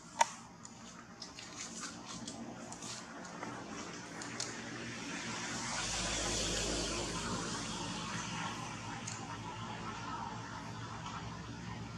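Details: Quiet indoor room noise with a soft hiss of running water or spray and a few faint clicks, with no animal calls.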